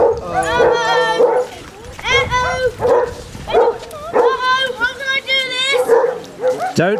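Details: Basset Hounds from a group of 24 walking Burnham and Berrow beach in Somerset, February 2014, give drawn-out, mournful bays in bursts about a second apart, each rich in harmonics and sliding slightly in pitch, while a voice calls to them.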